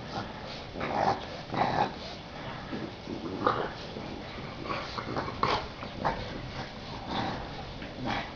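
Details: Bulldog puppies playing in a garden in spring 2012, with a girl joining in; short whiny whimpers and low grumbles come in scattered bursts amid rustling and scuffling.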